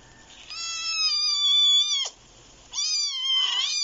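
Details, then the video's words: Two little kittens fighting: a high, thin, sustained cry that holds steady then dips sharply, a brief silence, then a second high wavering cry ending in broken squeaky notes. "LITTLE CAT FIGHT"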